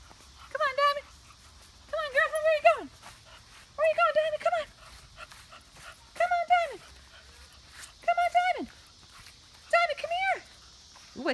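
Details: Bulldog, a wrinkly female of about six years, rescued from a puppy mill. She gives seven high, tonal, whining cries about every one and a half to two seconds, each held briefly and then sliding downward, over a faint steady hiss.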